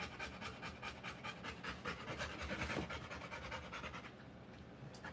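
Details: ['Labouring Rottweiler giving birth to puppies, panting hard and fast: quick breathy huffs, about two and a half per second, continuous and fairly even throughout.']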